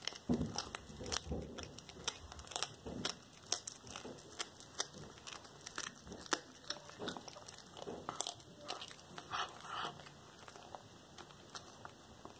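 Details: Cracker, a black tabby cat, eats a whole small rat as raw prey indoors, recorded February 13, 2022. Dense crunching and sharp bone-snapping clicks repeat irregularly for the full stretch, in a quiet room.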